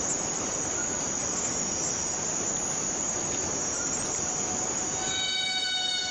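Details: Cicada in the Borneo rainforest, a steady shrill buzzing drone that fills the air, brightest high up, with faint pure tones sliding in during the last second.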